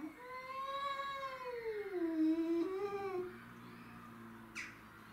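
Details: Territorial clash between domestic shorthair cats: a drawn-out, quavering yowl bends up, dips and rises again, then drops into a steady low growl, with one sharp click near the end.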